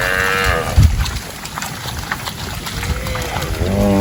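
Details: Cows grazing as a group in a rice paddy, one moo ending at the start and another rising call beginning at the end, with a thump and steady low field noise between them.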